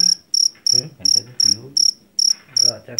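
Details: Javanese or jeliteng cricket from a rice field chirping loudly and shrilly, about three buzzy chirps a second, while human voices talk quietly underneath.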